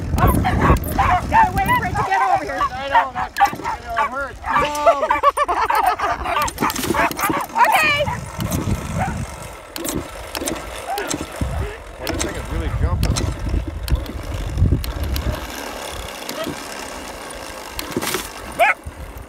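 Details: Dachshund lure coursing in the enclosed training center at Tawny Dog Park; rapid, high, excited yips and barks crowd the first eight seconds, then scattered barks among a person talking and handling noises.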